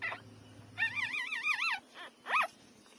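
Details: Newborn puppies, three days old, feeding at their mother's teats. A wavering, trembling whimper of about one second rises and falls in pitch, then a short rising squeal follows, with faint low rumbling early on.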